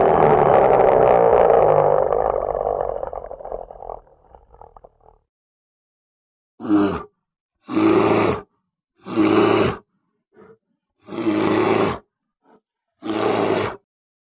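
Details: Polar bear, labelled a wild animal: a long rasping roar fading over four seconds, then a series of short, loud, rough roaring bursts repeated at irregular intervals of one to two seconds.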